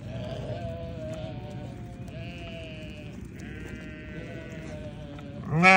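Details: Faint, thin bleats from newborn lambs repeat through a steady noisy background, ending in a sudden loud burst.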